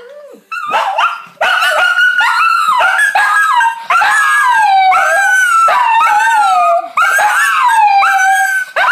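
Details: Pet Shih Tzu dogs howling in reaction to a child practising the recorder indoors; long, wavering howls that slide downward, repeated in overlapping bursts, with high steady recorder notes playing alongside.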